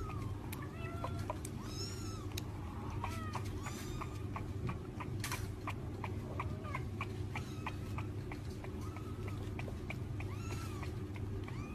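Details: Kitten at feeding time giving a run of short meows that rise and fall, repeated many times over a loud constant low rumble with clicks and clattering.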